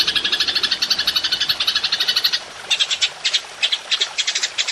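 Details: Golden grasshopper, known locally as belalang emas, in a songbird master recording: quick high scratchy chirp pulses, dense at first, then spaced into short clustered bursts.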